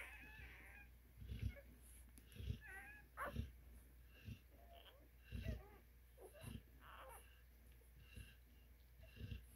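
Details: Scattered squeaky whimpers from newborn Cane Corso puppies, part of an eleven-pup litter of five females and six males in the United States, alternating with low thuds of shuffling bodies.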